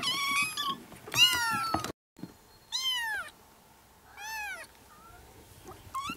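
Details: Yard kittens, four to five weeks old, meowing together in June: a cluster of loud overlapping cries, then separate arched meows roughly one a second, growing fainter toward the end.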